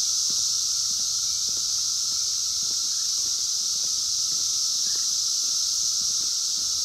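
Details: A dense chorus of 17-year Brood X periodical cicadas in the wild, 2021, sings in an unbroken, high-pitched hissing roar, with a fainter lower hum beneath and a few soft ticks and knocks.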